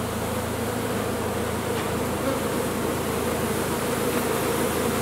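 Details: Big honey bee colony taken out of a sealed chimney; a loud, full swarm drone, continuous and even, with a faint higher whine above the low hum.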